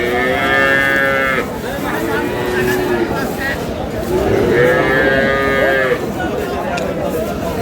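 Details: Cow with calves at Aftabganj cattle market in Dinajpur, on May 19, 2026: two long drawn-out moos, each about a second and a half, rich and harmonic with a slight rise and fall, over steady market crowd noise and chatter.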